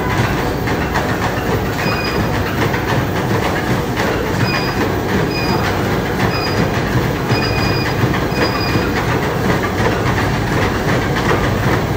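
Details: A moving train rumbles and clatters steadily, with brief high wheel squeals.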